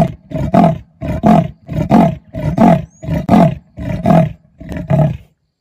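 A male leopard gives a rasping sawing call of harsh, repeated grunts, calling to his mate.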